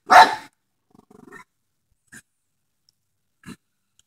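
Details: Dog barking at a groundhog, giving one loud, harsh bark followed by faint soft huffing and a few quiet thuds, with long stretches of silence between.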